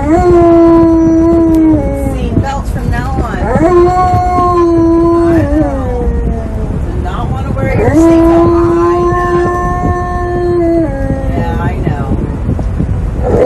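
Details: Tonka, an Alaskan Malamute, loudly protests having to wear a seatbelt in a car: long sustained howl-like vocal cries around a steady pitch, sliding up and down at their ends, in repeated drawn-out bouts over low rumbling car noise.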